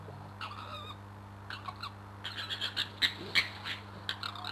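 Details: A fox fight involving the male fox Crooked-Tail under a bedroom window. Brief wavering cries give way to a rapid series of rasping, explosive bursts that grow louder, with a constant low hum behind.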